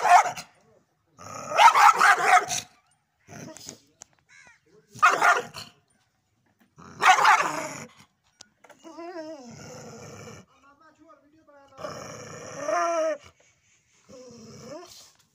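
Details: Hungry street dog, big, giving loud harsh barks in separate bursts about every two to three seconds, then a person talking over quieter background in the second half.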